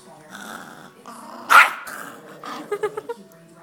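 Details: Tiny two-pound Yorkshire Terrier guarding food from other dogs, giving a low, rumbling growl with a steady buzzy tone, broken by one sharp yelp, then a quick run of short yips near the end.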